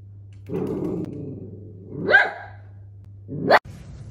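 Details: Miniature dachshund indoors giving three separate sharp barks spaced over about four seconds, the first lower and drawn out, the later two short, rising and higher pitched, with a steady low hum behind.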